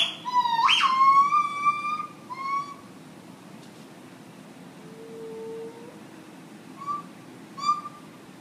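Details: A gibbon sings a morning song at Chicago's Lincoln Park Zoo: loud, pure hooting notes, one swooping sharply upward, then shorter scattered hoots.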